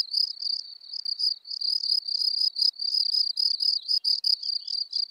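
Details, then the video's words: Song of a field cricket (Gryllus campestris) in Elsbethen, Austria, 24 April 2020: high, ringing pulsed chirps delivered in quick regular succession, slightly irregular spacing toward the end, nothing else audible. "Gryllus campestris -- Feldgrille"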